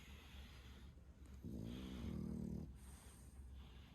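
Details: Loud snoring from an 11-month-old male French Bulldog weighing 8.7 kg, asleep indoors: one deep, buzzing, low-pitched snore of about a second, framed by soft breaths.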